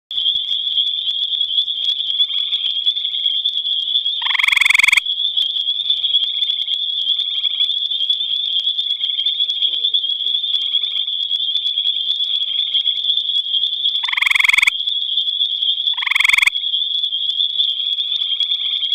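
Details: Gray tree frog singing at night in the Albany Pine Bush, giving three short, loud, buzzy trills about half a second long, widely spaced, over a continuous high, steady ringing drone.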